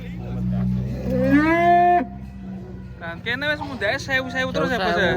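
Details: Giant, rare cattle being unloaded from a truck: one long harmonic moo rising then holding steady for about a second, followed by people talking over a low engine hum.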